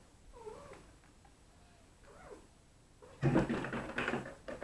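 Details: Neva Masquerade kittens from litters C and D, bred in Poland, at evening play indoors, watched by their mothers and a sister from litter A; two soft, wavering rising-falling mews, then loud broadband clattering thumps.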